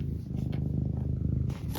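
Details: Cat named Eric purring closely, a low fast-pulsed rumble steady throughout, with a faint rustle near the end.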